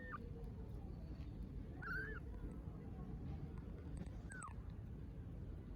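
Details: Hungry stray kittens in Istanbul meowing for food: two short, thin arched meows a couple of seconds apart over a steady low rumble of street traffic.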